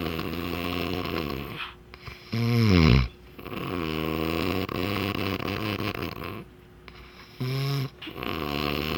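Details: Loud snoring from a sleeping dog, deep rattling breaths in long drawn rasps, each inhale a rough buzzy rumble, with short quiet pauses between breaths.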